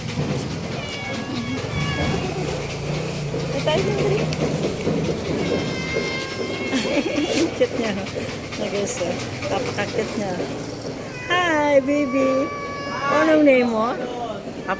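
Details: Hungry stray cats eating from garbage; several loud, wavering meows with rising and falling pitch come near the end, over nearly continuous human talking and background music.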